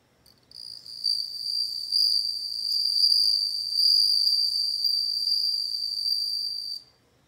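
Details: A loud, sustained, high-pitched ringing trill from a bell cricket carries for over six seconds, clear and tonal with shimmering overtones, then ends abruptly.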